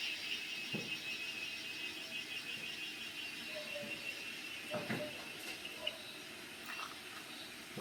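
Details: Cicada (cheeveedu) outdoors: a softer, distant high buzzing hum runs continuously, broken by scattered clicks and knocks nearby.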